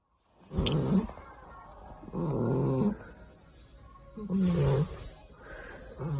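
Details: Exotic Shorthair cat named Coco snoring: three deep, rasping low rumbles, each about a second long, spaced roughly every two seconds, with faint room noise between breaths.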